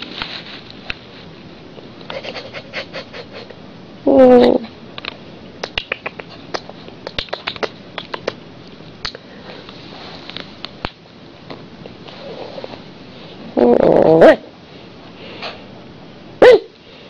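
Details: Female pet Siberian Husky appearing to try to tell her owner something gives three short, harmonic, yowling barks, the first and second nine seconds apart and the last brief, among frequent dry clicking and scratching sounds.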